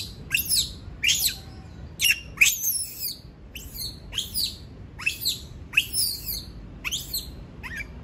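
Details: A monkey protests at being left alone with a rapid series of piercing, high squeals. Each is a brief, steep upward sweep, repeated roughly every half second to second, with quiet gaps between.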